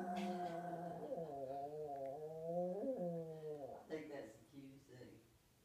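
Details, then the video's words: Female Yorkshire terrier singing for her owner in the morning: a sustained, wavering, tonal howl lasting about four seconds that bends upward near its end, followed by shorter broken notes, with a brief human voice at the start. "Yorkie singing a song"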